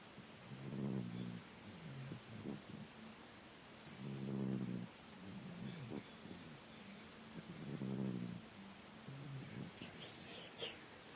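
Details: Murik, a sleeping domestic cat said to snore like a human, gives low, rasping snores in long breaths about every three and a half seconds, with quieter breathing between them and a faint click near the end.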